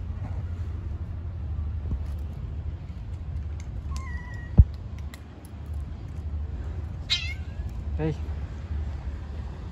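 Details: Hungry stray cats and kittens living on the street, being given food. One drawn-out, level meow, then a shorter wavering call a few seconds later and a faint third cry, over a steady low rumble and clicking noises.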